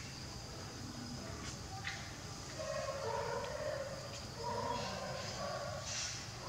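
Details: A captive male jaguar, about five years old, born April 2016 and tailless from a childhood injury, gives his usual thick, low, drawn-out moaning calls in two swelling bursts at a zoo, 5 October 2021.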